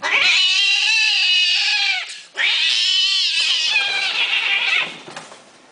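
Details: Persian kittens giving two long, drawn-out meows of about two seconds each, rich in harmonics and slightly wavering, the second call brighter and then fading away at the end.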